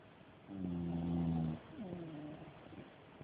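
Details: A dog snoring loudly during its nap: one long, low, droning snore with a steady humming tone, followed by a softer, falling, wheezy breath. The setting is quiet apart from faint background hiss.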